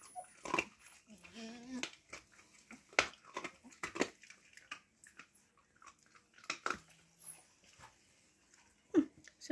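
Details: Siberian Husky puppies indoors in a small room whimpering for attention as people approach; a wavering whine near the two-second mark, with a person talking softly and handling noises around it.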